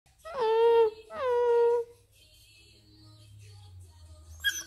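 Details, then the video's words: Chesapeake Bay Retriever puppy 'talking': two loud, drawn-out whining yowls, each under a second long, sliding down from a higher pitch and then holding a steady tone. A quiet indoor pause follows, with a low hum and a faint sharp sound at the end. "Cute puppy talking | funny puppy talking | Chesapeake bay retriever"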